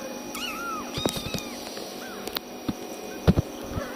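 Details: Tiny kittens crying for their mother cat, who comes to comfort them: thin, high, arching mews, several in quick succession, over steady background hiss with scattered clicks and handling knocks.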